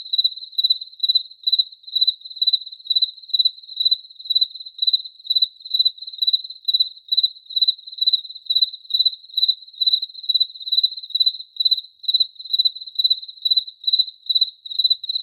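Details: Insistent cricket chirps, shrill and pulsing, recurring slightly more than twice a second without pause over fifteen seconds. Pitch and loudness stay constant, with silence behind them.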